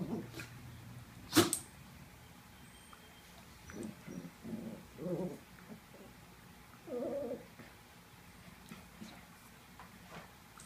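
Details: Two dogs, Looey and Butterball, wrestling together indoors: short throaty grumbling growls come in a few bursts with pauses between them, after a sharp click near the start, over a low steady hum.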